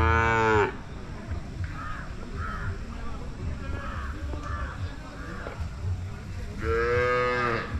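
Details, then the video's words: Pure Hallikar cattle at the Jodugatte market, a short moo at the start and another near the end. Between them is steady background chatter from the market crowd. "ಜೊಡುಗಟ್ಟೆ ಸಂತೆ ಪ್ಯೊರ್ ಹಳ್ಳಿಕಾರ್ ಧನಗಳ ಸಂತೆ"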